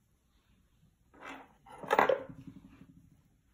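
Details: Food being chopped and dishes clattering in a small indoor room, with no animal voice.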